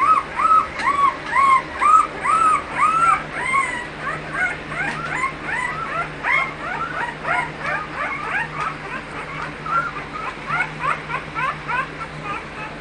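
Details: Chorus of whimpering American Bully dogs at a breeding kennel: many short, curved, high whines overlap steadily, louder at the start and gradually softening over the clip.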